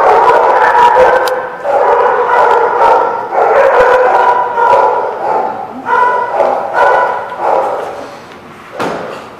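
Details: Several dogs at The Barking Lot on 21 July 2017 bark together in a dense, overlapping chorus, loud harsh yaps packed closely in irregular bursts with brief dips, then a single sharp bark near the end.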